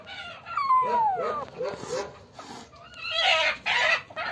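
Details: Captured black-and-white kitten, violent and roaring after being caught by the tail while hiding. A strong downward-sliding meow early on, then scuffling, breathy bursts and a shorter rising call amid handling noise.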